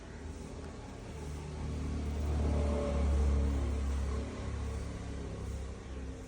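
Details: A vehicle engine rumbles low throughout, swelling as it revs in the middle and then easing off, with no animal voice audible.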